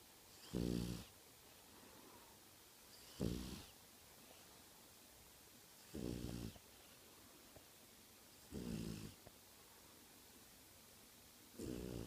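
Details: A French Bulldog snores loudly through the night, each rasping breath coming roughly every two and a half seconds.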